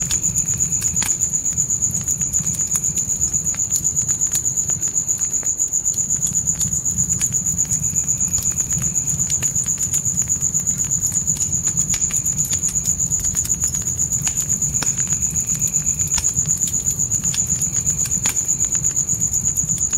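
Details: Crickets at night in a dark forest, a steady high trill of rapid pulses running unbroken throughout, with a campfire crackling and popping in sharp clicks and a soft low rumble of flames underneath.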